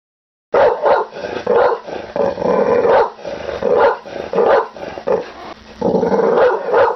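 A pit bull barks angrily in rough, throaty bursts, with growling between them.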